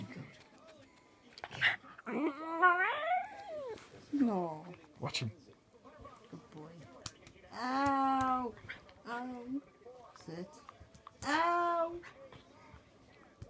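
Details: West Highland White Terrier puppy, a first-place puppy champion in April 2015 at Three Counties Showground, making odd noises indoors: bursts of harmonic, wavering whines and yodel-like cries that swoop up and down, with people talking quietly between them.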